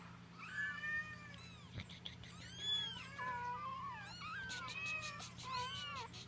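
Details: Munchkin kitten meows, 21 days old: several high, thin mewing calls overlapping, arching up and down, some wavering, from more than one baby at once, with a steady low hum underneath.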